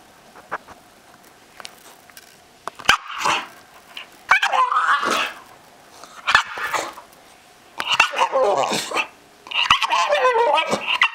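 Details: Pet Staffordshire Bull Terrier making weird noises indoors: irregular bursts of whiny, warbling yelps and grumbles with wavering pitch, separated by quiet gaps, growing longer and busier toward the end.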